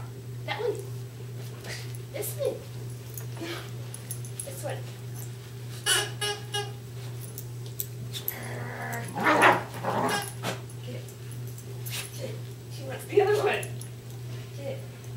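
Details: Two West Highland White Terriers, Darby and Riley, playing tug of war indoors: scattered short rough growly bursts, strongest around the middle, over a steady electrical hum, with a person's encouraging voice and background music.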